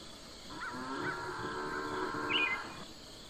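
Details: A cow (Bos taurus) gives a drawn-out, fairly high moo lasting about two seconds, with a brief bird chirp near the end.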